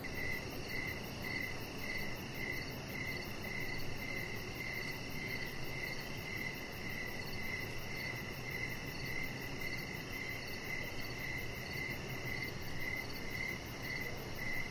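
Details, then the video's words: Crickets chirping outdoors in the evening near a deck with decoration lights, a chihuahua puppy resting nearby; bright, short chirps repeat steadily about twice a second through the whole stretch over a constant low background hum. "Chihuahua Puppy Laying On Deck with Cricket Sounds"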